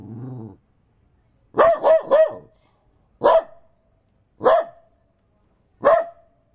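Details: Male Daito dog named Chucky, a Japanese landrace from Minamidaito Island, barking at Okinawa Zoo & Museum: after a brief low hum, a rapid triple bark followed by three single barks spaced over a second apart, each sharp and ringing.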